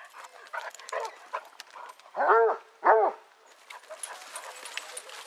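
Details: Scottish Basset Hound walk with 18 hounds at Belwade Farm, Aboyne, in August 2014. Amid background talking, a hound gives two deep, arching bays about half a second apart, then the chatter continues.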